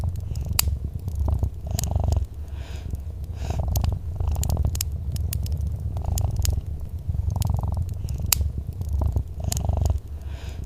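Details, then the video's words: Soft, continuous purring of a cat next to a crackling fireplace, a deep pulsing drone with brief breaks, punctuated by scattered snapping pops and hissing bursts from the fire. "Soft Purring Cat"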